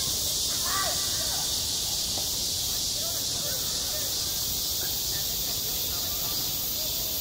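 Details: Cicadas calling on a school playground in the heat of summer, a constant bright, sizzling drone, with faint distant voices briefly audible underneath.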